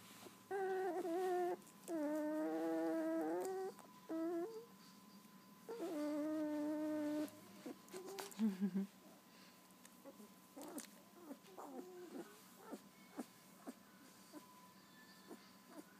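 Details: Two-week-old wolf hybrid puppies, eyes freshly opened, whimper in a run of short and medium wavering cries over the first seven seconds. Soft clicks, rustles and handling noises follow, with only faint whimpers afterward.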